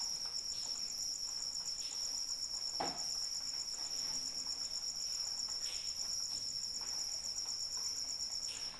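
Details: Continuous high, beating trill from a cricket in rain, steady in pitch and loudness, over gentle rain noise with occasional sharper drop sounds.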